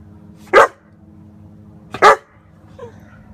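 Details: German Shepherd puppy giving two loud, sharp barks about one and a half seconds apart, followed by a faint short yip, over a steady low electrical hum.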